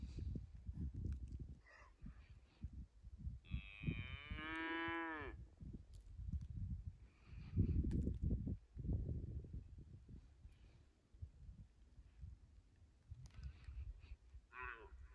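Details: Highland cattle cows running in snow toward a forest on a Finnish farm, 6 January 2021, iPhone 11 recording: a single mid-length harmonic moo near four seconds amid steady low trampling, crunching and rumbling movement noise.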